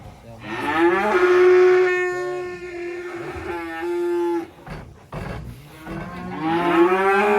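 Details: Black sacrificial cattle being unloaded from a truck into a pen; long drawn-out moos, the first held steady for about three seconds, then broken by short pauses, with another rising moo near the end.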